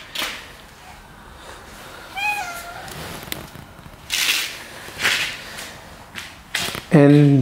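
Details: A stray cat believed to be pregnant, coming to a house for about a month, with a pet cat nearby: one short rising meow near the start, then a loud harmonic meow at the end, between speech and thumps.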